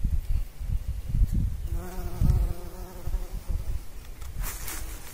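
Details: Bumblebee at work pollinating flowers: a clear humming buzz rises out of gusty low rumble, holding steady with rich overtones for about one and a half seconds before fading back into the noise.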